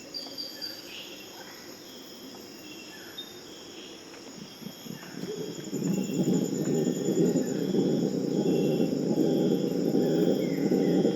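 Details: Purus red howler monkeys in the Amazon, calling around 4 am in a morning chorus, break into a deep, rumbling roar that swells steadily over a constant insect drone; howls serve to prevent fights between groups.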